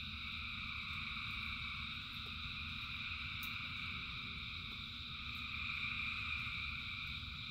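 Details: A dense chorus of thousands of frogs singing in rain, steady layered trilling at high pitch, with a sharp tick midway and the low steady wash of rain throughout.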